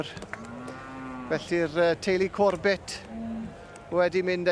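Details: Charolais cattle at a cattle championship show: a long low steady moo followed by a series of short harmonic bellows in quick bursts, with loud crowd or background noise and sharp clicks.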